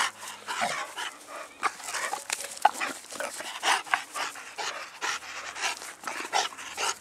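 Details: Dog from a family of English bulldog, bull terrier and American bully dogs, panting in quick rhythmic breathy bursts, with a few soft whimper-like sounds between them.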